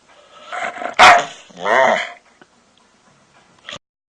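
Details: Pet dog producing strange noises to get someone's attention: a rising grumble into a sharp bark, then a long wavering groan-like howl, followed by silence and a faint, short click-like yip near the end.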